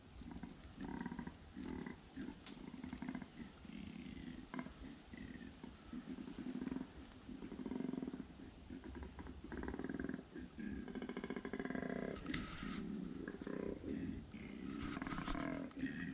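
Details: Wild male koala in Australian bushland, vocalising after climbing a tree, seemingly warning the observer to back off: deep, rasping, snoring-like bellows pulsing in repeated bursts, with rustling and outdoor background.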